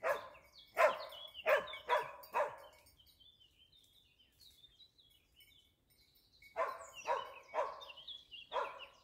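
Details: Barking Dachsbracke during wild boar hunting training: five quick, sharp barks, a quiet stretch with faint bird whistles, then another run of five barks.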